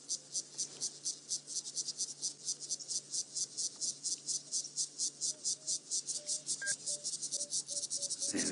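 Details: A high, buzzy trill, which the speaker thinks is some cricket species and probably also a cicada, pulses steadily several beats a second near lions in Djuma Game Reserve on an afternoon drive, October 29, 2016, over a faint engine hum.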